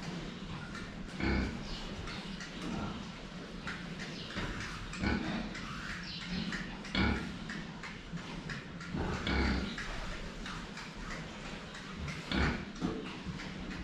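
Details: Drinking pigs seen head-on give short, deep grunts scattered through the recording, roughly every one to two seconds, with sharp clicks and splashy knocks from the drinking in between.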